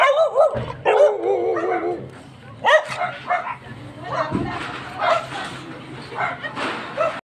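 A Chow Chow gives short, sharp barks mixed with wavering, whiny yelps, while a person speaks nearby.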